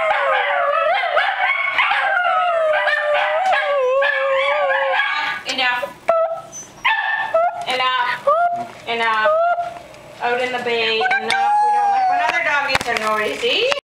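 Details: Two Scottish Terriers, prompted by their sister, howl together at a cottage; the wavering, overlapping howls fill the first part, then grow broken and intermittent as a person talks and the chorus is interrupted.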